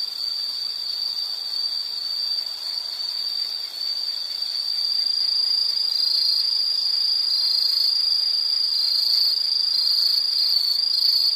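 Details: Insects calling in a soothing nature scene: a sharp high-pitched buzzing trill, fairly steady, with a pulsing second caller joining and growing louder in the latter half.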